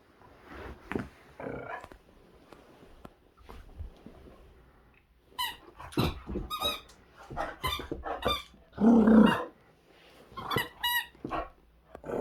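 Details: Boxer dog Zeta in 2021, full of energy while playing with a squeaky toy: bursts of rough, throaty growling and grumbling vocalizations, rising in strength toward the end, mixed with thin high squeaks from the toy.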